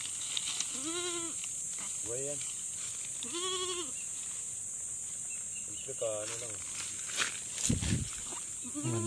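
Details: Goat bleating on a farm during a first-time birthing, several wavering bleats near one and four seconds with a harmonic stack, a lower call near two seconds, and a steady high hiss throughout.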